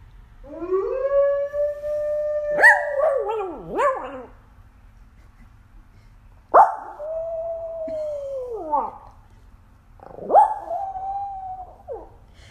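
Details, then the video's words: Pet dog howling after a digital assistant plays a wolf sound: three long, drawn-out howls with steady, slightly falling tones, each ending in a wavering drop, separated by short quiet gaps in a silent indoor room. "Dog Howls After Hearing Digital Assistant Play Wolf Sound"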